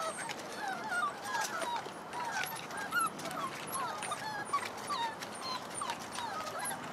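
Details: Chloe and Jericho's puppies, several pups playing and exploring around their den, give a busy stream of overlapping high, squeaky whimpers and short yelps, some rising, others falling, with no pause across the whole stretch.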